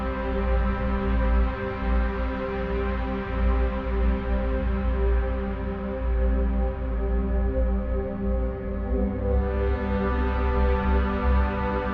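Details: A steady, low ambient music drone with sustained tones fills the whole stretch, and no animal voices are heard.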